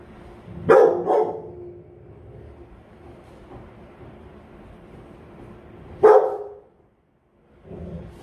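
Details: Rottweiler barking while guarding: a loud double bark near the start, a long quiet stretch with low background rumble, then a single strong bark later followed by faint noise.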